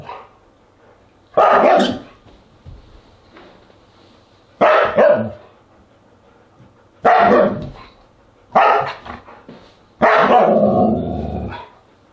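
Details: Siberian Huskies barking at a dinner party, August 10, 2022; five loud, rough barks come at irregular intervals of two to three seconds, the last one drawn out into a longer, moaning call.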